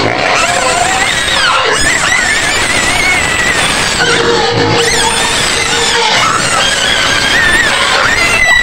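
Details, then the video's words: Screaming white pigs in a pen at the edge of Medan, with high, wavering squeals overlapping nonstop against a busy, noisy backdrop. "SUARA BABI PUTIH MENJERIT JERIT DI KANDANG"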